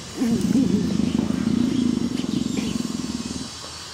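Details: Female leopard Greta, affectionate and in heat, gives a loud rhythmic purr, a rapid low throbbing of about four pulses per second, sustained for over three seconds before fading out.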